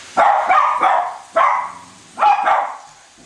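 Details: Two Cavalier King Charles Spaniels barking indoors while chasing a toy train around a Christmas tree: sharp, bright yapping barks in short bursts of two or three, about six barks with brief pauses between.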